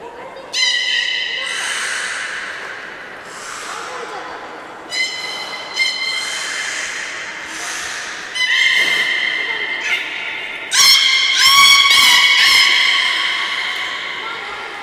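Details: Beluga whales at Port of Nagoya Public Aquarium, Japan, during leftover-fish feeding time on 13 May 2017, give high, squealing whistles and harmonic chirps, rising and falling in bursts.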